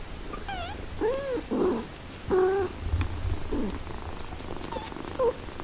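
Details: Mother cat looking after six-day-old kittens: a series of short, high, arched mews, about five in quick succession with brief gaps, over a faint low purring rumble and light rustling.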